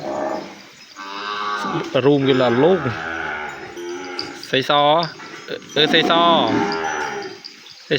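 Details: Penned calf kept apart from its mother cries out for her: a rising then falling bawl, followed by several shorter, sharply inflected moos spaced about a second apart.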